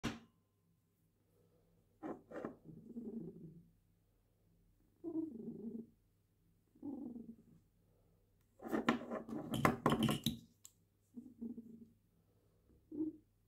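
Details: A female domestic cat purring while her claws are trimmed indoors. The purring comes in low, throbbing bursts about a second long with short pauses between them. Clicks and rustling from the trimming are heard, with a loud burst of handling noise near the end.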